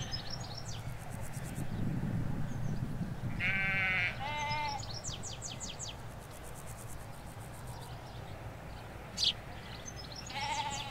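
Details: Ewes with lambs in a Hampshire sheep field, stereo recording made halfway along a hedge away from the road: several bleats, a strong nasal one followed quickly by a shorter one, another near the end, amid chirping birds and low background rumble.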